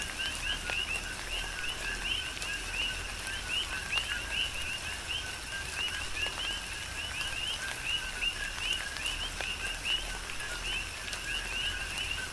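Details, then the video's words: Tropical rain on Hawaii's Big Island with a dense chorus of coqui frogs: continual quick upward-sweeping chirps from several callers stacked over a lower tone, set against constant rainfall and occasional sharp drip sounds. "Tropical Rain & Coqui"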